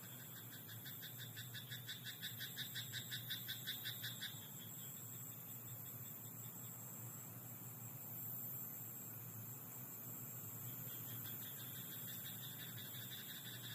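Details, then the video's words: At night in a rice paddy, a frog gives a short run of quick, regular croaks, roughly three each second, for about four seconds. A second softer bout near the end sits over a constant low hum and thin high hiss. "自然音 田んぼのカエル "Croaking frog in rice paddy at night""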